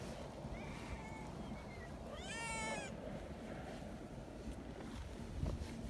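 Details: Young community cats gathered happily beside a milk-tea-coloured cat; one high kitten meow rises and falls in a clear harmonic stack, after a fainter, flatter mew, over a steady low rumble of background noise.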